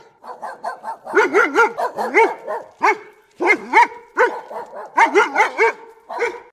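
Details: Dog barking in quick, high-pitched yaps, many with a whiny rise-and-fall, delivered in rapid bursts of three to six barks separated by short pauses, with no other sounds in the background.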